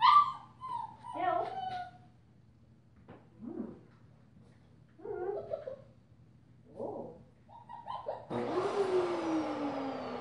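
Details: Female German Shepherd puppy, five weeks old, wearing a purple collar, utters a series of short whining yelps spaced a second or two apart, then a loud rustling, scraping noise takes over near the end.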